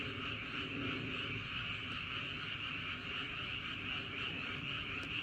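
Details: Night-time frog chorus in Andong, South Korea, around Wolyeong Bridge and Hahoe Village: many overlapping callers blend into an unbroken, shimmering trill, with low rumbling underneath and a faint click near the end.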